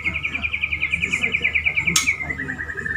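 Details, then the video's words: Pet male white-rumped shama courting a female delivers a fast, even trill of rapidly repeated notes that slows and drops slightly at the end, with one sharp click midway and low background hum. "Murai Jantan merayu Betina bikin nyesek"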